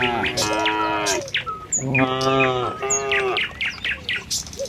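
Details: Cows of a tame village herd on the road to their pen in the morning. Three moos follow closely, the first lower and longer and the next two higher, while birds tweet sharply in between.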